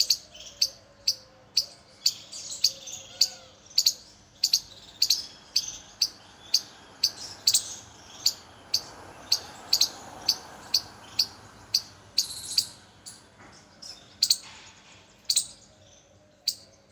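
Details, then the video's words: Squirrels recorded unfiltered, giving sharp, high, clicky chirps in a steady series of roughly two per second that continues without pause, over a quiet background with a faint low hum. "Unfiltered sound of squirrels"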